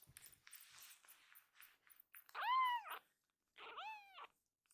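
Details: Akuro, a rescued baby kitten in foster care, crying loudly before being held: two arched, harmonic meows, the first long and rising then falling, the second shorter after a pause, preceded by soft rustling indoors.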